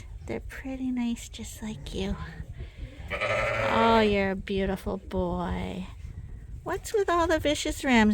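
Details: Flock of sheep on a farm giving several wavering bleats, some drawn out and some short. A person's voice mixes in among the calls at indoor pen level.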